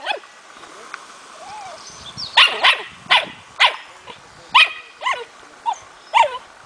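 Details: Smooth fox terrier pup aged four months, trained for hunting through play; after a quiet start with soft whines, a string of high, strained yelping barks follows at irregular intervals.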